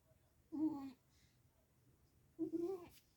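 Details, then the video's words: Sphynx cat, warmed up and fast asleep indoors, snoring loud enough to fill the house: two short, whining, tonal snores about two seconds apart, quiet room between them. "Кошка Сфинкс пригрелась и отрубилась. Храпит на весь дом."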